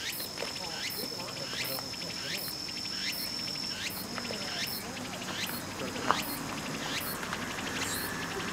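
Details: Walker's cicada singing in autumn in Japan: loud, harsh, buzzing phrases, each sweeping upward, repeated about twice a second in a steady rhythmic series over a background hiss.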